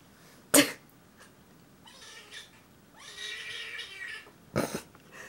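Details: Alessandro the cat, unhappy about his ear medication: a sudden sharp burst, then a drawn-out moaning wail with a steady low tone in the middle, and another short harsh burst near the end.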